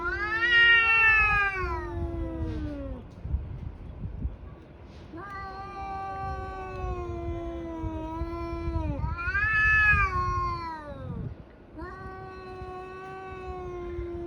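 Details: Two tabby cats in a brawl, yowling in long drawn-out wails that rise, hold and sag in pitch, about four wails across the stretch with brief gaps, over a low rumbling background.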